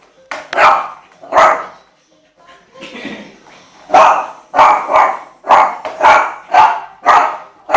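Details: Eight-month-old Shih Tzu male, frightened by a skateboard, giving a run of sharp, high barks roughly once or twice a second, with human speech between and under the barking.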